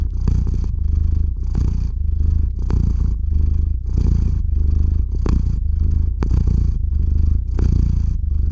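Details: Sleepy domestic cat purring right at the microphone before falling asleep: a loud, deep, buzzing purr in long breath-linked phases, each lasting under a second with brief airy breaks between inhales and exhales.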